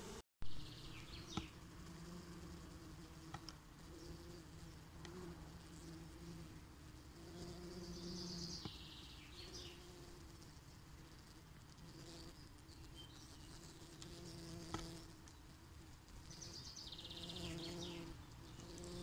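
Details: Honeybee swarm moving into a new home: a continuous deep, humming drone, fluctuating slightly in strength, while small birds chirp and twitter in brief high bursts in the background.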